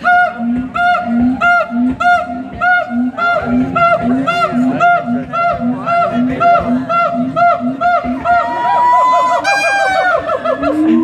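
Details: Siamangs at the Columbus Zoo in May 2017 give loud, evenly repeated honking barks that build into rising, wavering whoops and shrieks.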